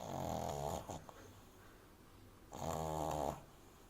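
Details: French Bulldog puppy named Amy asleep in a person's arms, snoring very loudly: two long rasping, rattling snores about two seconds apart with a quiet pause between.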